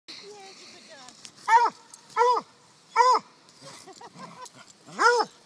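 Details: Holly, a pet dog at Rovers Run in October 2012, gives short arched yelping calls, four loud ones spaced about every three-quarters of a second with softer whines between, over a quiet outdoor background.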